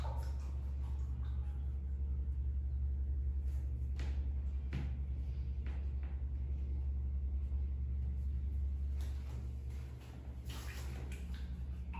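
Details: A steady low rumble like an engine or appliance fills the room, broken by a few faint knocks and clicks, with no animal voice heard.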